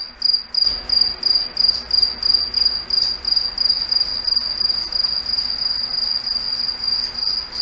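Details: Crickets singing at night in a foggy forest: a steady, high-pitched pulsed chirping, about one and a half pulses per second, with a continuous shrill tone underneath and no other clear sounds.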